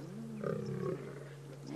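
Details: On safari, a lioness growls angrily as hyenas protect a kill they stole from her; the low, rumbling growl swells briefly in the middle before fading.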